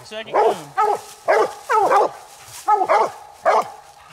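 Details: Coonhounds Nite Ch Fit and Nite Ch Cindy on a night raccoon hunt, at their second coon of the night; six loud, harmonic, ringing barks in irregular bursts roughly every half second to a second, with quiet gaps between.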